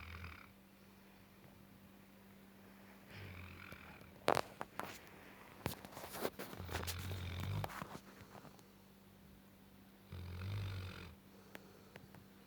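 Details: Gassan the Tibetan Mastiff, aged nine months, snores in his sleep: low, rattling breaths recurring every few seconds, with a burst of loud clattering and knocking partway through.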